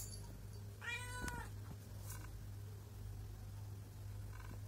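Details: Pregnant mother cat with two kittens; one short, clear, slightly rising meow near the first second, followed by faint soft sounds over a constant low hum.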